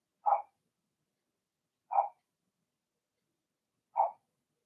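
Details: Indoor puppy pen with Remy's first litter of six Blenheim Cavalier King Charles Spaniels: three sharp, high puppy barks, evenly spaced roughly every two seconds, in a quiet room.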